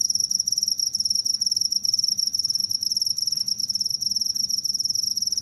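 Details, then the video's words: Cricket sound offered for repelling rats: a continuous, high, shrill trill of rapid pulses, steady and unbroken throughout, with a fainter overtone above it and a low, soft background hum. "suara jangkrik pengusir tikus"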